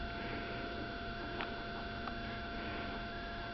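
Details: A constant electrical hum with a few faint ticks, and no animal sound.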